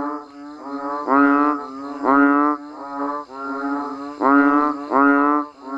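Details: Chorus of banded bullfrogs and frogs calling during rainfall in a natural setting, a steady stream of buzzy, nasal moaning notes, loud calls pulsing about once a second over fainter overlapping voices.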